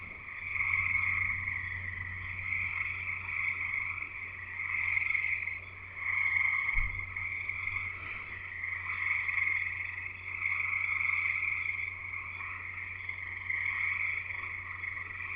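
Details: Frogs singing in a chorus at a house in Escanaba, Michigan, in the Upper Peninsula: a dense, continuous mass of high, shrill peeping that swells and fades in waves, with a steady low hum underneath and a brief thump near the middle.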